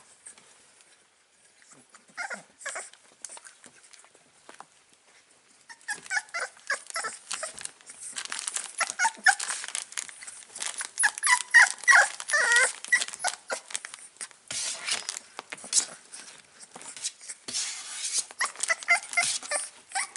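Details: Five-week-old Staffordshire Bull Terrier puppy, Panzer, indoors in a small room, filmed 16 April 2019: soft high whimpers and squeaky yelps start after a quiet few seconds, then come in rapid irregular bursts, mixed with rustling and crinkling.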